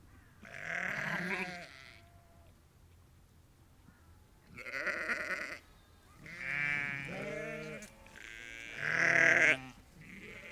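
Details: Flock of roughly 30 to 50 ewes and lambs calling to each other on a sheep farm; four drawn-out, quavering bleats of differing voices, the last loudest, separated by short pauses.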